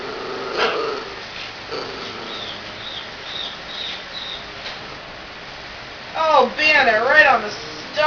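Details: A female Jack Russell terrier, eyes closed as if concentrating, gives a burst of wavering, creaky whines like a door creaking open, rising and falling in pitch, something she has never done before; softer whimpers and a person's voice precede it.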